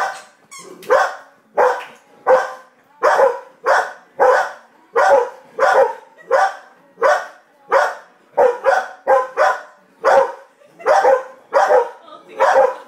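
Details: Two pet dogs indoors, one barking at the TV and the other barking at her: a steady run of about nineteen sharp, harsh barks over thirteen seconds, roughly one every two-thirds of a second, with no other clear sounds.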